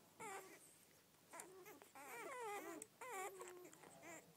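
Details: Newborn Rhodesian Ridgeback puppies from a first litter of twelve, squeaking and whimpering in high, wavering, rising-and-falling cries that overlap in short bursts, with faint rustling behind.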